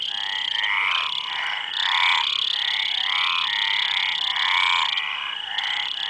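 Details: Several frogs calling together, their grating, ratchet-like croaks overlapping in a continuous stream, with a constant thin high whine running underneath the whole time.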